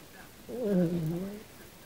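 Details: Kym, an Australian Silky Terrier dreaming in her sleep, gives a single soft whine under a second long that rises slightly and then falls away.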